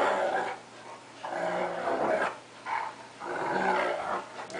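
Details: Pet cocker spaniel attacking a larger wolf-Akita mix in play: continuous harsh growling in several long, swelling bouts, snarling and throaty, with brief dips in between.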